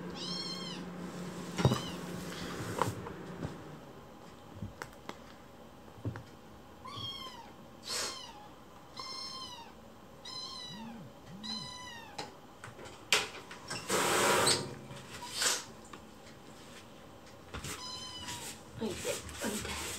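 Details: Foster-care rescue kitten voicing angry protest: repeated high arched meows scattered across the clip, some in quick pairs, mixed with rustling, clicks and handling noises indoors, plus a few low soft sounds.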